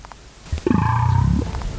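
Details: Underwater Bryde's whale (Balaenoptera edeni) biotwang near the Mariana Trench, first recorded 2014: a deep, pulsing grumble under a second long, ending in a faint, synthetic-sounding high-frequency metallic overtone.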